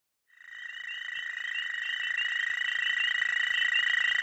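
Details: Dwarf American toad (Anaxyrus americanus charlesmithi) males chorusing in spring at a small breeding pond: a sustained high musical trill holding steady after a brief silent start, with a second higher trill layered above, overlapping callers.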